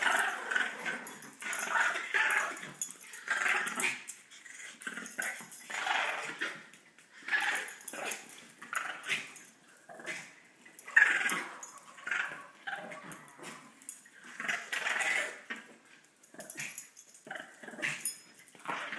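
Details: Dogs play-fighting for dominance, each trying to claim the other, give continuous rough growls and snarls in short, uneven bursts of about a second, repeated throughout with hardly a pause, heard indoors at close range.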